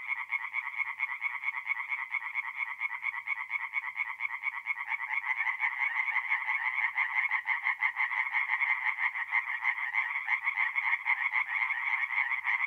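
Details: Chorus of tree frogs at a forest pond by night, mid-April, north-east Italy: overlapping rapid croaks forming a continuous throbbing wall of sound that grows slightly louder midway.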